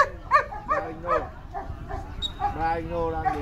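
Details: At the Vietnam Sieger Show 2019, male German Shepherds in the VA class; about three quick barks roughly every half second open the clip, followed by steady Vietnamese commentary from the announcer.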